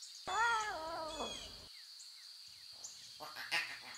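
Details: Wild lion cub meowing in its natural surroundings: a drawn-out, harmonic mew that wavers and slides downward over about a second, then a shorter call, with a steady insect hum and faint bird chirps behind.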